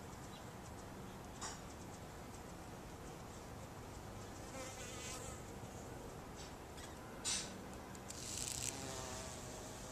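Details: Bumblebees hum with a low droning buzz that rises and falls as they pass near and drift away while gathering pollen from cactus flowers in the morning, over a faint steady hiss, with a couple of brief clicks near the end.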